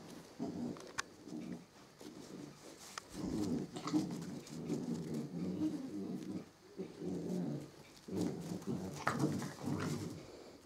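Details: Samoyed mother with her puppies, giving repeated low, rough growling and grumbling bursts, each lasting one to two seconds with short pauses between, and a few sharper clicks and knocks in the background.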